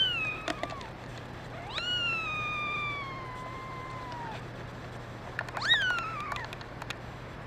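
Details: Kittens, one a red mackerel tabby male, meowing: a short falling meow, then a long drawn-out meow that rises sharply and slowly falls, and a final high rising-then-falling cry, with faint clicks and a steady low hum.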